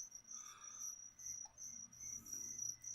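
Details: Feeder crickets offered to a captive leopard gecko give a continuous high-pitched trill of quick, evenly pulsed chirps, with faint low rustling and a hint of distant talk underneath.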